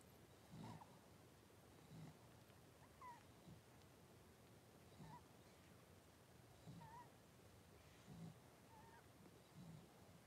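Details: Five young blenheim Cavalier King Charles Spaniel puppies in a home whelping pen with mother Paris, 26 January 2023: quiet thin whines, each a short wavering squeak, come every second or two over low rustling and muffled bumps.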